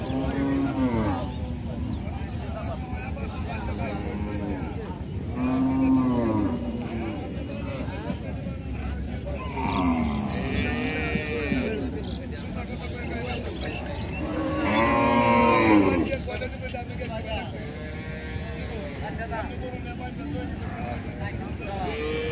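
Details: Several drawn-out lowing moos from cows, harmonic and arching, spaced a few seconds apart with the loudest near the end, over constant broadband background noise and some murmur.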